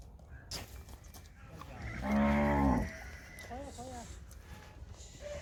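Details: Sahiwal cattle on a farm in Pakistan: one long, loud, harmonic-rich moo lasting about a second, followed by softer short calls, with a man speaking Hindi/Urdu just before and farm background noise.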